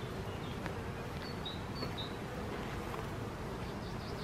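Honey bees fill the air with a steady, low, droning hum of many wings.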